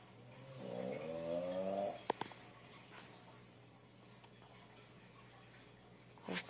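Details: A snoring English Bulldog gives one low, rasping snore rising slightly in pitch, followed by quiet with a few clicks; he then wakes up.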